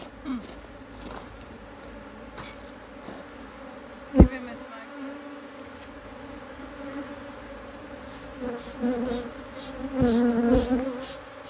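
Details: Honey bees at an Australian-designed Hive IQ hive in Australia, mid-autumn 2023, during a spell of fine weather as the hive is opened to add a box of empty frames: a steady low droning hum with a higher overtone, sharp knocks, and a wavering swell near the end.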